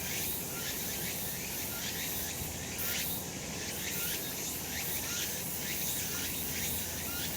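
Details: Sunlit summer mountainside full of cicadas, their shrill buzzing blending into one continuous wall of sound that throbs roughly once a second.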